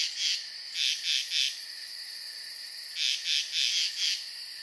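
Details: Night chorus of frogs at a tranquil pond: two clusters of three to four rapid, high chirps separated by a quiet gap of about a second and a half, over an unbroken high drone.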